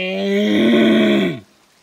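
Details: A bull elk (wapiti) lets out one steady, rich-toned bellow lasting just over a second, holding a low, buzzy pitch before sagging downward and cutting off into quiet.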